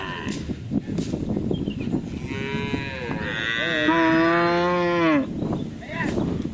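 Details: Cattle at bull race (karapan sapi) training at the Asemanis field in Pamekasan give a long, drawn-out moo that swells and then falls, lasting about three seconds, over crowd noise and music.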